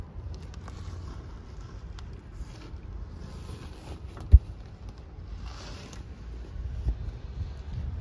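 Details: Low rumbling background with soft rustles and a sharp click near the middle, but no animal calls.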